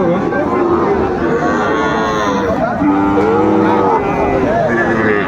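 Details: Sahiwal bull calves lowing at a cattle market in Kushtia, Bangladesh, on 2 August 2024, as a farmer buys. Drawn-out moos with wavering, arched tones, over a steady backdrop of men bargaining loudly.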